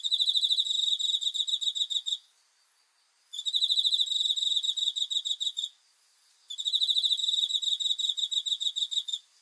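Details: A cricket at night, dated 5 August 2020, trills in long pulsed runs of about two seconds. Three runs are separated by short one-second pauses. The shrill, buzzy chirping has nothing else around it.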